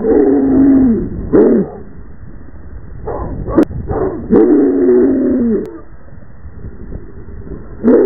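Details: A Rottweiler running and spinning in circles in a yard with several dogs barks, slowed into long, deep, drawn-out moaning tones with short pauses between.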